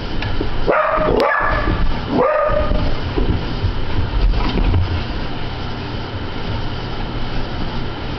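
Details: Border Collie Sophie, described as obsessive, reacts to a ceiling fan in June 2009 with two or three abrupt barks in the first seconds, then only the constant droning fan noise.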